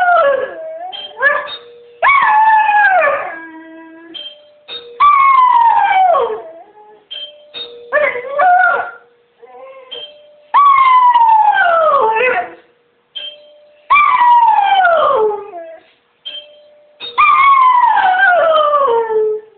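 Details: Female pet dog howling in response to the door bell, a series of drawn-out howls each starting high and sliding downward, repeated roughly every two to three seconds, with short steady tones between them.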